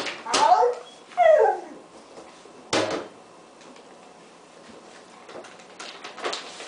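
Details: Excited six-month-old female rescue puppy, a German Shepherd, Husky and Beagle mix, indoors waiting for breakfast, gives two short rising yelping howls, then a sharp yip and soft whimpers, with a person speaking nearby.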